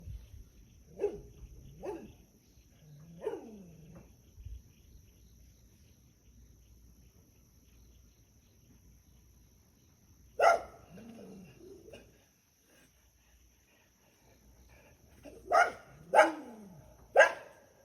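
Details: Dog met along the road in the countryside, recorded by someone staying out of sight: scattered barks, a few spaced early on, a single loud bark near the middle, then a tight burst of three toward the end, with quiet gaps between.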